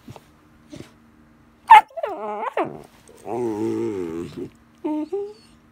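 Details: Weimaraner puppy, male, 74 days old, barking loudly for no reason like an alarm clock: a sharp yelp, then drawn-out harmonic yowling barks, one lasting over a second, and a short final bark, with a faint steady hum.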